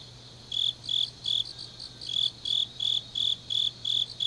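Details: Night chorus of grass insects in autumn, Changnyeong, South Gyeongsang Province: short, shrill chirps in small bursts with brief gaps, a softer overlapping trill sitting slightly higher, low steady hum beneath.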